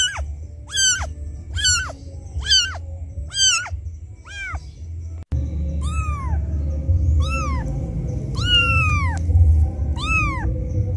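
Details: Kitten crying for its mother, which has left it: several short, high mews, then after a cut, longer and lower drawn-out cries that arch up and slide down, over a steady background hum.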